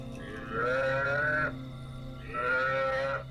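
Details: Buffalo calf distress-style calls broadcast at night from a CD by a researcher luring hyenas near the Nile, Murchison Falls National Park; two drawn-out, nasal, harmonic bleats of about a second each, separated by a short pause, with steady hum behind.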